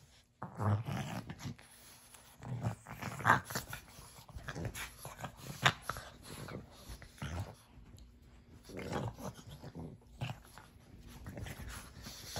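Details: Two pug puppies play-wrestling indoors: short low growls and snorting grunts in irregular bursts about every two to three seconds, with panting, brief sharper yelps and scuffling between bouts.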